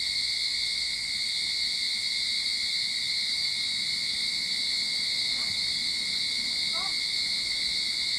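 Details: Early-summer cicadas in a Sydney backyard make a relentless high buzzing drone, while two faint brief chirps, possibly distant birds, sound softly underneath late in the recording.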